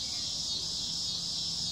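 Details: In summer, cicadas fill the air with a continuous, shrill, sizzling drone at an even pitch and loudness, with a faint low hum underneath.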